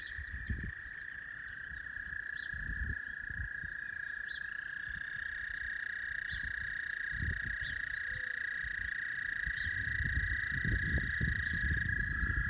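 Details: At Northwest Park, a chorus of frogs makes a steady, high trilling drone, with low wind rumbles underneath.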